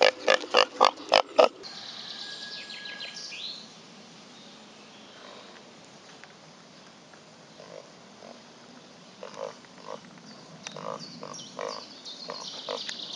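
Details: Pot-bellied pig Reza out on a walk on a hot summer day: a quick burst of about six sharp grunts at the start, then quieter scattered snuffles and grunts, with high bird chirps and outdoor background noise.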